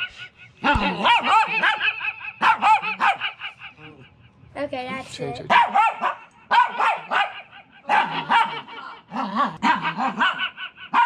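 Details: A male puppy gives short, sharp barks and yips in bursts into a microphone, joining in with a person singing.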